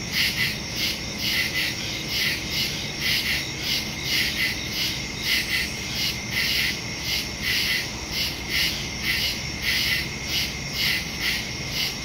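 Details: Crickets calling in the woods after dark, September 2, 2023: a thick high-pitched chorus of rhythmic chirping, pulses rising and falling roughly once a second over a faint low rumble.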